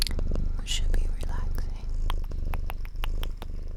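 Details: A female domestic cat kept as a pet purrs indoors. The purr is a steady low rumble of quick, even pulses that runs through the whole stretch, under soft whispered storytelling and faint clicks.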